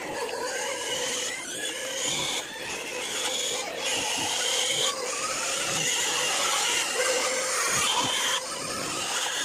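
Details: Several native pigs being fed produce a steady mass of rough, raspy squeals and grunts, loud and unbroken for the whole stretch, with overlapping voices.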